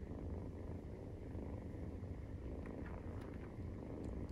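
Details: A 43-day-old Maine Coon kitten purrs during nursing, giving a low, unbroken vibrating rumble with a gentle rhythmic beat, faint and close.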